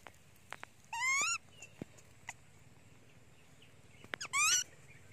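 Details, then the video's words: Hungry and crying for her mother, the monkey Janny lets out two loud, wavering, harmonic screams several seconds apart, with scattered clicks and low room noise between them. "Beautiful Monkey Janny Screaming cry Loudy / Janny Very Hungry on Mom"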